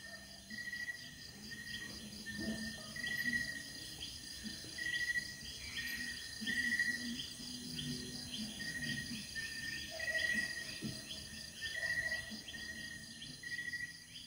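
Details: Crickets at night at Kamp Lema Kapehab campsite on Marilaque Highway, Real, Quezon, with no cellular signal nearby; short, shrill chirps repeat roughly every second over a continuous high insect hum, with faint birds and a flowing spring.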